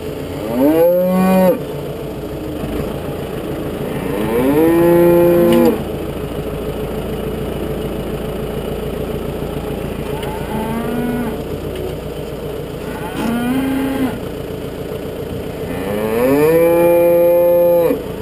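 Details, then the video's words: Galloway cattle, including a wild Galloway bull, while suckler cows are fed on a farm: loud bellowing moos rise and hold, three long ones and some shorter calls, an engine rumbling throughout. "wilder Galloway Stier"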